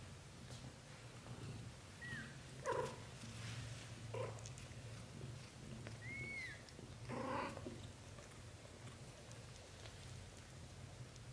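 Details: British Shorthair kittens in their first month of life, black golden and blue golden coats. Two thin, high arched mews about four seconds apart, with soft rustling, a low steady hum and brief bumps between them.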